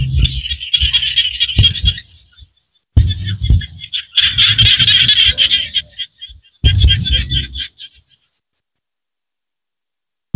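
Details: Small frogs calling in Cambodian rice-field countryside: bursts of dense, rapid pulsed chirping at a high pitch, repeated in clusters of a few seconds with pauses between, over low rumbling thumps.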